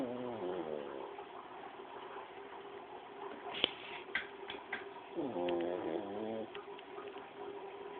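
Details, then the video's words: Paco the pug snoring indoors: two drawn-out, wavering nasal snores, one at the start and another lasting over a second later on, separated by a quiet stretch with a few soft clicks over a steady background hum. "Paco roncando"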